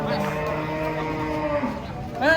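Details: A horned bull unloaded from a truck for qurban sacrifice lets out a drawn-out, deep, richly harmonic moo that bends downward near the end, followed by a louder shout-like burst; people talk around it.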